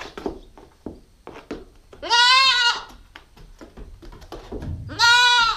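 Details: Nubian goat kid, a female nine weeks old, filmed on a GoPro stakeout: two loud harmonic bleats, the first long and wavering, the second shorter near the end, with soft clicks and rustling between them.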